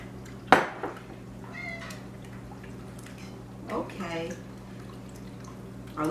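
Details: A female domestic cat gives short, rising meows amid kitchen clatter and a steady hum; the owner thinks she is hungry.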